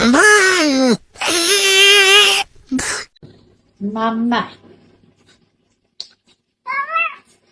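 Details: Cat from a compilation of cats that can actually talk, giving long, loud, wavering yowls and then quieter, shorter meows after a pause, in a small indoor room.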